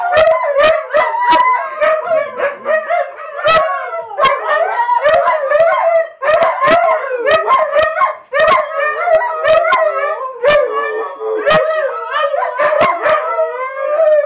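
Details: Huskies sharing a home howl and yip as a pack, continuous choppy chorus of short wavering howls broken by many sharp clicking bursts, voices overlapping throughout with hardly a pause.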